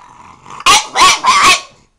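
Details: Orson the French Bulldog, a pet talking back to its owner: a soft grumbling hum, then three loud, rough, growly barks in quick succession, each about a quarter second long, ending in quiet.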